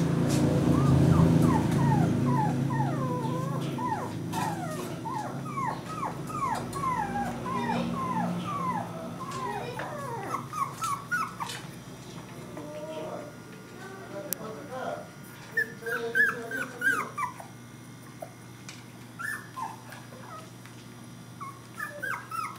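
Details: Puppies gathered in a house's living room give a long run of rapid, high, falling whimpers and yips. The calls are dense at first and thin out into scattered squeaks, with low rumbling sounds early on.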